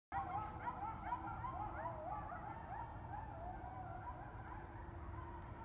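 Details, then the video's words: Several coyotes howl and yip together at night in wavering, overlapping high notes that echo off bluffs across the Yellowstone River Valley near Fairview Bridge, North Dakota, in November, over a low background rumble. "Coyotes Howl Over Fairview Bridge At Night, North Dakota"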